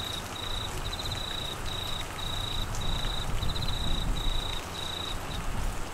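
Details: Crickets calling in Australian monsoon rain, Queensland: high pulsed trills in half-second bursts with brief gaps, over loud low rain and rumble.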